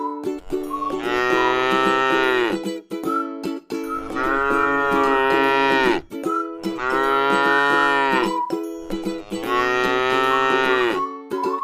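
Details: Four evenly spaced, prolonged moos, each around two seconds, from a tame cow lying in a rice field; the lowing is steady and harmonic-rich, with short gaps and ukulele-like music behind.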